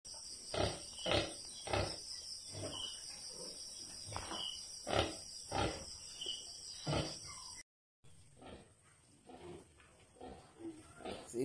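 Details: Domestic pig on a farm, a sow that has only a few piglets: rough, broadband grunts repeated roughly every second, over a steady high-pitched whine in the background.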